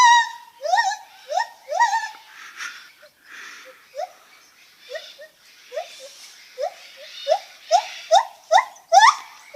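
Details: A white-handed (lar) gibbon (Hylobates lar) gives a series of rising, swooping hoots, each note sliding sharply upward.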